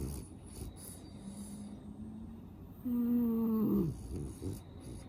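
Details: A French Bulldog snores in its sleep, nose stuffed and snuffling: soft wheezy breaths, then a loud one-second whistling snore that slides downward before fading into faint snorts.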